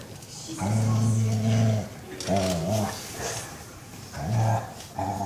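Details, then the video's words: Massaged Beagle voicing contentment: a long, deep, steady groan over a second long, then shorter wavering moans that rise and dip, with soft breathy gaps between them. "Beagle massage "oh sooo goood" funny sounds"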